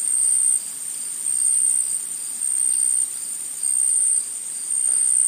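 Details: In a forest, insects keep up a thin, very high buzzing trill that surges in loud bursts a little over once a second, uninterrupted for the whole stretch.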